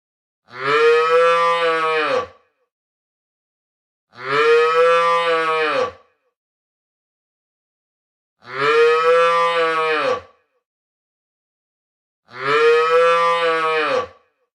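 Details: Calf, a baby cow, mooing four times: long, rich, droning calls of nearly two seconds each, steady in pitch, repeated about every four seconds with silence between.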